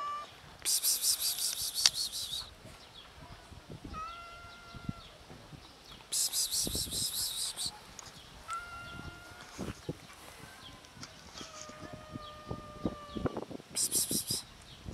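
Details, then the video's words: Hungry cats met outdoors calling from hunger: several level, drawn-out meows spaced a few seconds apart, the last one longer, broken up by loud bursts of high buzzing hiss and occasional knocks. "Cats meowing from hunger"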